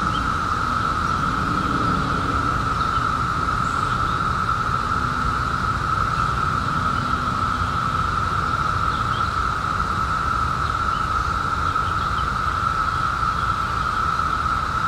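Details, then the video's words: A mass of periodical cicadas, out in 2021 after a 17-year hiding, drones as one constant, level hum with no pauses, with low background rumble and barely any other sound. "SOUND OF CICADAS 2021"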